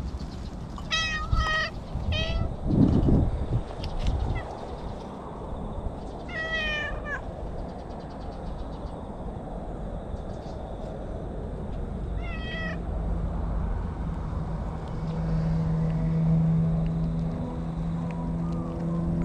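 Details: Stray cat in bushes chattering in cat language: several short broken meows in quick clusters early on, one more later, then quieter rustling and a low steady hum.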